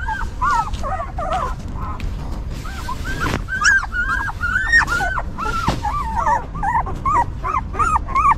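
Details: Newborn puppies cared for by their stray mother; overlapping short, bent whimpers and squeaks, two sharp clicks or bumps midway, the cries growing busier toward the end over a low, noisy background.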